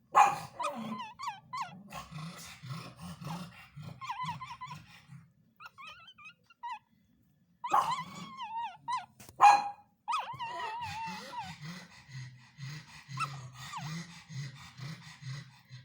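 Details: Sleeping pug puppy vocalising while dreaming: thin wavering whines and squeaks in short bursts, interspersed with low rhythmic snoring breaths and brief pauses.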